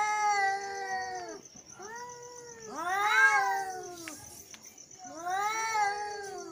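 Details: Angry male cat yowls, long descending wails repeated about every two to three seconds, the middle one louder and harsher with overlapping tones, against a constant faint high electronic whine.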